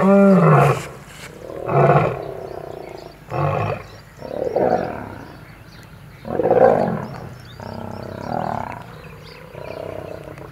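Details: Old male lion battling young male lions over territory in Kruger National Park, South Africa, filmed at Kambaku River Lodge; harsh, harmonic roaring snarls in loud bursts about every two seconds, with deep growling between them.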